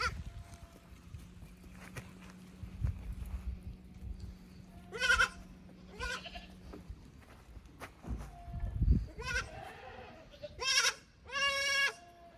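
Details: Goat kids from the lower pasture exploring the unfamiliar upper pasture on a Japanese goat farm, May 15, 2024; several short wavering bleats, closely spaced toward the end, with low hum and footstep thuds.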